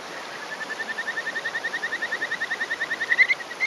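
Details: Male Kajika frog calling from a rock on a May 2018 morning in rural Hofu, Yamaguchi Prefecture, Japan. It gives a breeding call as a territorial male: a fast series of short, clear whistled notes, about eight per second, ending in louder, higher notes.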